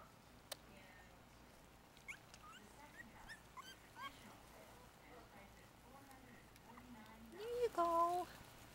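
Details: Four-week-old Yorkshire Terrier puppies, a litter of five, eating a mix of puppy milk and ground-up puppy food from a dish. Faint squeaky chirps come through a low hum, then a loud, rising, harmonic whine near the end. A voice speaks nearby.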